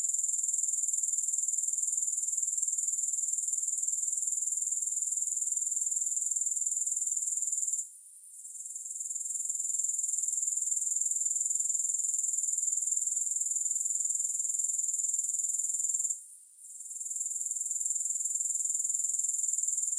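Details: Grasshoppers in a long sleep and relaxation recording with no music: a steady, shrill, very high-pitched trill pulsing about four times a second, broken twice by short dips into near silence before the chorus swells back.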